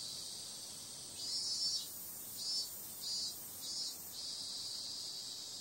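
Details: Cicada sound at night in summer: an even, high hissing whine, then from about one second in a run of five rhythmic louder pulses before the drone settles back to steady.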